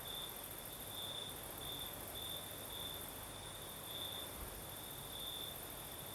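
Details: Crickets singing at night in the south of Crimea, with a night breeze: a steady high chirping band pulsing in a loose repeated rhythm, with fainter shrill insect hiss above and soft low wind rumble beneath.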